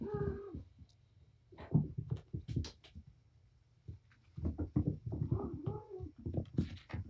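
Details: Domestic cat Patience, a mother with her five kittens, four boys and one girl, playing wound up indoors in a small room: brief tonal harmonic mews at the start and again near the end, amid thumps, scuffles and scampering.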